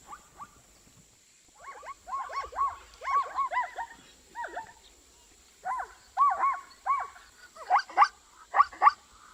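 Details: Zebra calling in a rapid series of short, arched, harmonic barks, mid-pitched and grouped in bursts with brief pauses between them. A steady faint high whine runs throughout.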